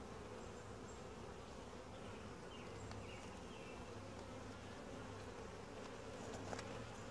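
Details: Honey bee colony during a typical hive inspection, described as quiet, gentle and calm; a steady low hum of many wings fills the clip without pause, with faint scattered ticks above.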